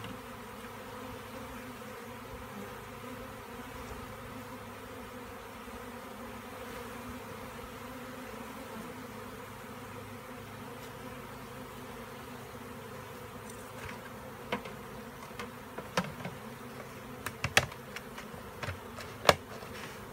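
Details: Bees humming steadily and quietly for a long stretch, with sharp clicks and knocks growing more frequent toward the end.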